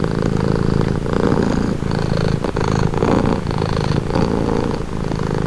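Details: Domestic cat purring steadily, a calming sound: low rumbling drone with soft pulsing swells roughly every second, continuous and close, no other noises.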